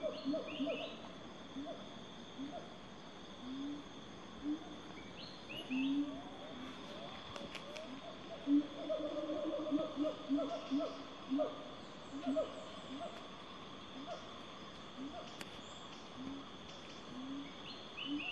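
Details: Siamang calls in a Sumatran forest: repeated swooping, hooting notes rising and falling, over a steady high insect drone.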